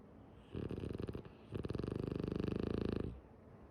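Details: Tsumugi, a female French Bulldog, snores while asleep with her eyes open: two rattling, fluttering snore bursts of rapid buzzy pulses, the first short and uneven, the second longer and steady, in a quiet indoor setting.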